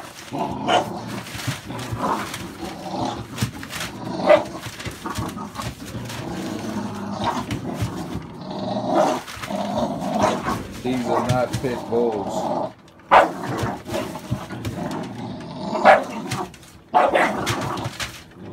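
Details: American Staffordshire Bully dogs from a litter of puppies born 11/16/2017 give a dense, overlapping run of mid-pitched barks and growly yaps, with bursts crowding together and a few brief pauses across the stretch.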